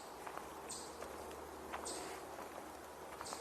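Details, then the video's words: On a June 27 tour outdoors, chipmunks give brief, high, sharp chips about every second and a half, over soft footsteps and faint background, possibly with a distant American goldfinch. "Swainson's You're hearing chipmunks. And I think"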